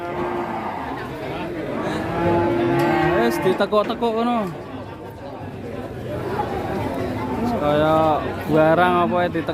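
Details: Cattle being loaded in Indonesia, the head repeatedly bent, give loud drawn-out moos with rising and falling tones, including sharper high-pitched cries near the end. Music plays and people talk throughout.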